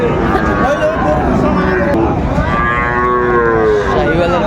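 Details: Sahiwal bull calves at Raniganj cattle market in Dinajpur, Bangladesh, on Thursday 18 April 2024; a long, tonal moo with stacked harmonics, bending downward, rises over steady crowd chatter and market noise.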